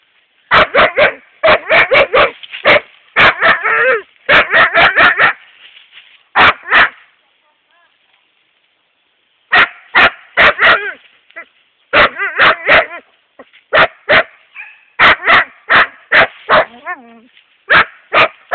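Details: Epos, a 7.5-month-old male Siberian Husky, barks at a hedgehog in loud rapid bursts of sharp yaps, grouped in runs of three to six with short pauses between, plus a few whiny yelps.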